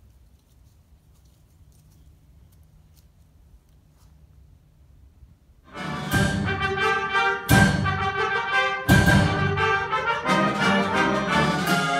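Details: Near silence for about six seconds, then loud orchestral music with brass and timpani, and no animal voice heard.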